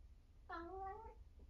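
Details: 1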